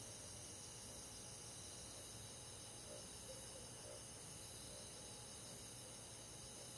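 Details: Crickets and other grass insects on a summer night in a countryside forest: a steady, shimmering high-pitched drone of many overlapping callers with no single chirp standing out, plus a soft low hiss underneath.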